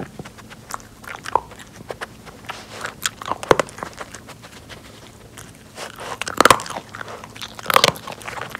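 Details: Pori, an adopted rescue Jack Russell Terrier kept indoors by social distancing and snow clearing, eats treats from a nosework snuffle mat. Crisp crunching bites and snuffling clicks, loudest bursts near three and a half, six and a half and eight seconds, in a quiet small room.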